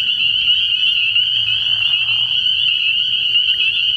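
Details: Night chorus of spring peepers at a frog pond early in the year. Many shrill peeps blend into one continuous high ringing, with a soft low rumble in the background.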